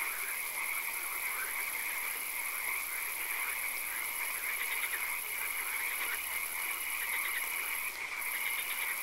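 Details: Frogs calling in a swamp at night, a scene with occasional rain: dense overlapping chorus of short pulsed croaks in quick bursts, with a steady high hiss and shrill continuous drone throughout.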